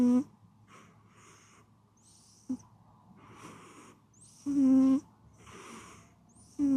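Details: Pet cat asleep and snoring in a small room. Short whistled snore bursts alternate with airy, hissing exhalations. The louder wheezes come at uneven gaps of one to two seconds.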